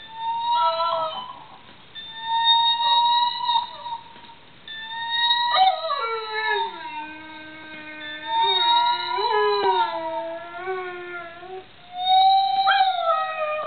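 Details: Pet dog howling in response to guitar notes, a sound he makes at nothing else; long wavering harmonic howls with sliding, falling and rising pitch, brief pauses between, and faint guitar notes in the background.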